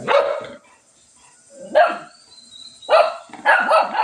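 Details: Shih Tzu barking while fighting with a cat: sharp barks in short bursts, one near the start, then single barks and a quick double bark toward the end, with a faint high whine between.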